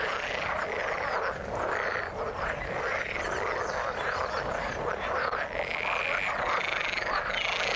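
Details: A thick frog chorus in the water, overlapping rasping croaks and trills from many callers, with a few higher, drawn-out notes rising above the mass near the end.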